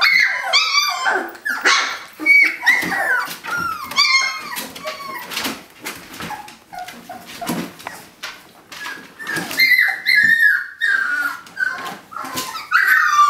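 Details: Several puppies, eighteen days old, trying to escape a kiddie pool to explore, whimper and yelp in high, wavering cries, many overlapping, with scratching and scrabbling noises throughout inside a small room.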